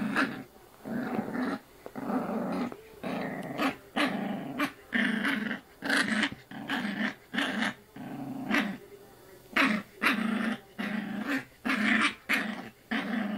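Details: Puppy growling while playfully biting at a person's arm indoors; short rough growls repeated roughly every half second to second in steady bursts, with faint rustling between.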